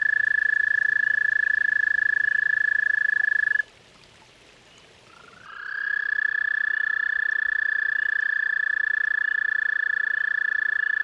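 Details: Toads visiting a pond: a sustained, even, high-pitched pulsed trill breaks off, leaving a couple of seconds of near silence, then another long trill rises in and carries on steadily.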